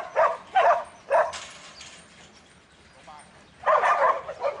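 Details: Young male Border Collie in training, a futurity prospect for 2012, gives three short sharp barks in quick succession, falls quiet, then lets out a louder burst of barking at the end.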